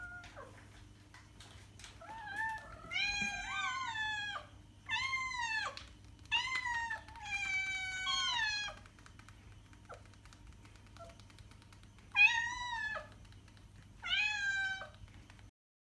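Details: Meowing house cat used to attract cats: a long, bending, plaintive meow leads into several rising-then-falling meows in quick succession, then a pause and two final shorter meows over faint background hum.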